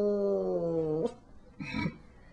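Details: A female pet cat eating icing indoors lets out a smooth, sustained tone that slides gently downward for a second, followed by a short rustling, smacking burst as she keeps eating.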